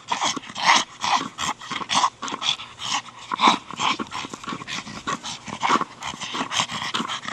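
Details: Brogan, a 4-year-old male Staffordshire Bull Terrier, plays with his big hard plastic ball. He gives short, sharp bursts of barking and huffing, about one a second and unevenly spaced, with scuffling between them.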